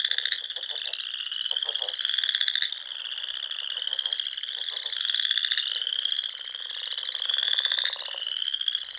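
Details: Spring chorus of frogs at dusk in the rolling dunes of the Sandhills of Nebraska, near small lakes and ponds: a dense, continuous high trilling band with swelling louder pulses every couple of seconds, plus lower clicking notes beneath.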